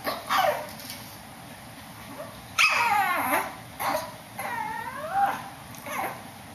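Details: A Shih Tzu upstairs gives a few spaced, high yelps and whining barks. Some of them bend downward in pitch, and quiet gaps of about a second fall between the calls.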